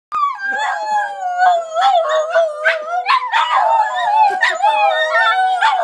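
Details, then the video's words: Three Border Terriers howling together in St Albans, long wavering tones overlapping in chorus, one steady held pitch beneath rising and falling voices, short yips breaking through. "Border Terrier Symphony"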